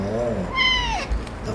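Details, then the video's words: A house cat greeting its owner in the morning: a softer low murmur, then one clear drawn-out meow that holds level and slides downward at the end, with a person's voice nearby. "고양이들에게 아침인사를 받았다"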